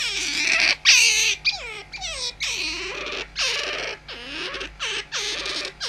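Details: Tame pet otter kept at home, squeaking in place of an alarm clock: a rapid series of short, shrill, harmonic squeals that slide downward, broken by brief pauses, indoors with a faint steady hum.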